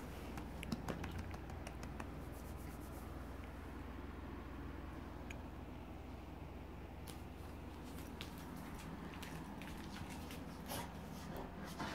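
Soft clicks, taps and low indoor rumble in a quiet room, with no animal voice.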